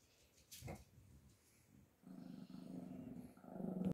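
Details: Chihuahua puppy at a kennel in Simferopol, Crimea, filmed close up, giving a low buzzy growl that builds and holds after a brief handling noise.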